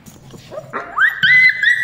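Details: Rottweiler puppy named Dazzy whining while people call it; loud, sustained high whimpers rise and hold with slight wavering over under two seconds, with background voices.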